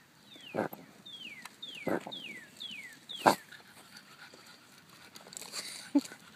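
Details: A female Jack Russell Terrier hunting moles gives a few sharp barks between high, falling whines, with a person talking.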